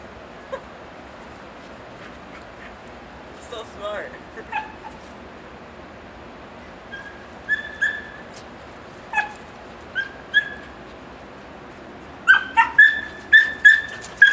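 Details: In Connecticut snow, seven-month-old Beagle/Basset Hound mix Odin chases Dixie, another dog. Scattered high yelps and whines give way to a rapid run of shrill, ringing yelps at the end. A human voice is faint in the background.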